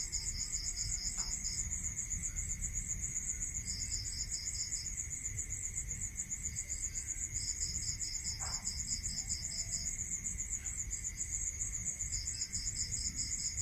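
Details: Rural night crickets trilling in fast, even, high pulses. A second caller sings in short bursts with gaps between them, over a continuous faint tone and soft low-frequency noise, with a few brief faint knocks.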